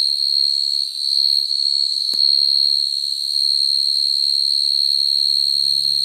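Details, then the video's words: Field cricket calling to females, a sound used for cricket trapping; a sustained shrill trill that dips briefly near the start, broken by a single sharp click, then a faint low hum near the end. "Tiếng dế mèn kêu, dế cơm kêu dùng để bẫy dế chuẩn"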